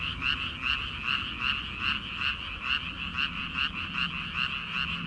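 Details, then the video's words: Many frogs croaking from paddy fields in early summer ahead of rice transplanting. Bright, buzzy croaks throb at about two to three per second in an unbroken chorus. "초 여름 개구리 울음소리/ 논에서 들리는 개구리 소리"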